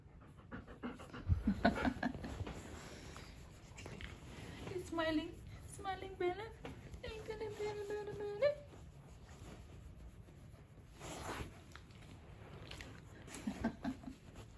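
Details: Bella, a Golden Retriever, being pampered: a few soft high whining, squeaky vocal sounds in the middle, among panting and a person talking to her.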